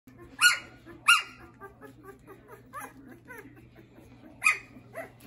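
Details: Schapendoes puppies from a kennel; a few sharp high yelps near the start and end, with soft repeated whimpering squeaks between them over a steady low hum indoors.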